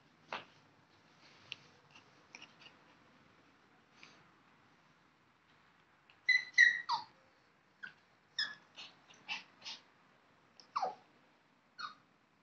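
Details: A dog indoors in a small room, giving short high squeaks and whimpering yelps, some in quick clusters of two or three, with quiet breathing between them and long near-silent gaps.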